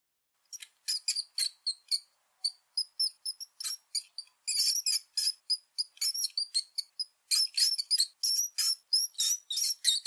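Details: House mouse giving a rapid series of short, high-pitched squeaks, about three per second, each a thin tonal chirp with bright overtones, some rising or falling slightly; brief pauses between bursts, otherwise quiet.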